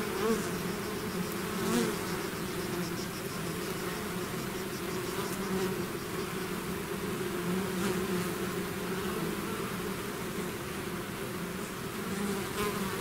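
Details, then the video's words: Many bees swarming out of a hive create a constant layered hum, broad and unwavering, with faint separate flybys rising and fading against the continuous drone. "bees therapy swarm natural buzzing sound"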